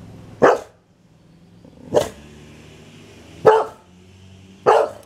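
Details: Boxer dog named Liberty, a hungry female pet, throwing a tantrum for an early dinner: four sharp single barks spaced about one and a half seconds apart, with a low background hum between them.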